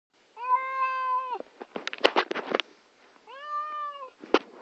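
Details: A female domestic cat (Felis catus), upset before going to the vet, gives two long, drawn-out meows sounding like "hello," separated by sharp clicking and rustling.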